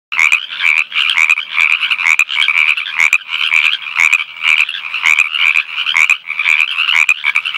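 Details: On the edge of a small creek in northern Arizona, a Pacific tree frog one to two inches long gives loud, raspy two-part rib-bit croaks about twice a second, with quieter frogs overlapping in the background.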